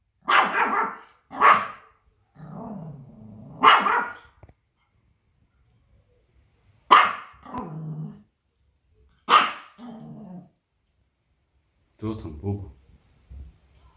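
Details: Small Pomeranian spitz defending its territory after hearing outside noises: sharp, ringing barks in pairs, with lower growling grumbles between them and a rougher final outburst near the end.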